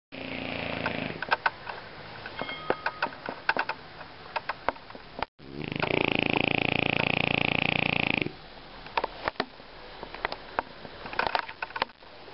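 A French Bulldog snores loudly, each breath a rough, rattling rasp broken by small clicks and snuffles. Midway comes one long, drawn-out gravelly snore before the quieter snuffling resumes.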